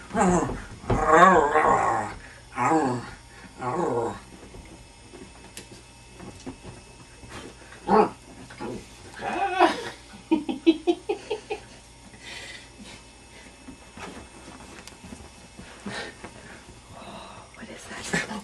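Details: Indy, a pet puppy, playing at home and getting fired up, gives repeated low growls and short whimpering yips in bursts through the first half, with laughter and a person talking over the play.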